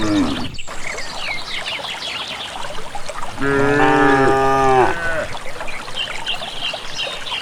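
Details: A village herd of cattle walks calmly toward a green valley pasture without a herder. Midway, one steady, harmonic-rich low moo lasts about a second and a half. High chirps and soft rustling sound in the background.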